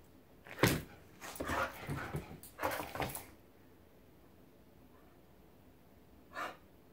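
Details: Whippet and pit bull mix dog having zoomies indoors: a cluster of sharp, noisy bursts and thumps over about three seconds, then quiet, with one short burst near the end.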